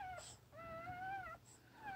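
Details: Newborn puppy whimpering softly: thin, tonal whines that waver slightly and rise and fall, one long whine between two shorter ones, recorded quietly indoors.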